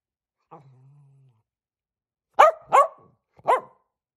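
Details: Miniature dachshund at play indoors: a soft low growl first, then a pause and three sharp, loud barks in fast succession.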